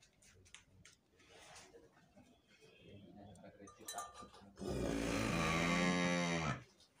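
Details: Breeding Limousin cow in a barn, mother of super calves: murmured voices and clatter at first, then a loud, sustained two-second moo rich in harmonics near the end.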